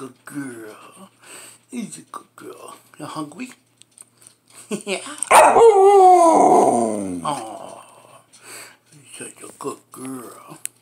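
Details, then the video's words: Female Samoyed indoors, hungry and asking for breakfast, gives one loud, wavering howl of about two seconds that slides downward. A woman talks to her before and after, with soft vocal sounds between her words. "Awoooaoo Yes Hooman, of course I'm hungry. This Samoyed Pupper is ALWAYS hungry"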